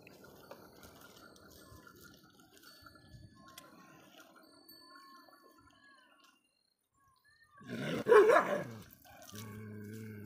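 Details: Shiro the dog barking at other dogs: after a quiet stretch with faint chirps, one loud, harsh, rough-edged bark bursts out, followed by a steady low hum.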